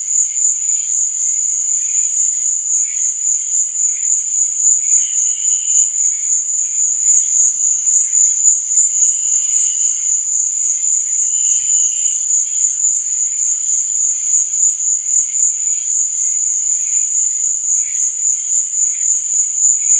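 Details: Continuous night-time cricket song: one high, even, ringing trill fills the whole stretch, while softer lower chirps and a few brief sustained notes come and go underneath.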